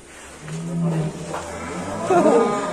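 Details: Fat cattle at a farm in Magelang, Central Java, Indonesia, giving a low, steady moo that holds level for under a second before breaking off, followed by a rougher, rising strain; voices are heard nearby.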